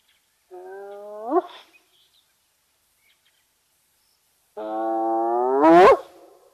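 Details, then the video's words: Spotted hyena at Nkorho in the fenceless Sabi Sands Reserve beside Kruger National Park, South Africa, caught on a live bush camera: two drawn-out, harmonic calls, each sweeping sharply upward at the end into a rising whoop. "Spotted Hyena making its self heard"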